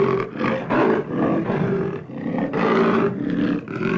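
An African leopard gives deep, rasping roar-like calls in quick rhythmic bursts.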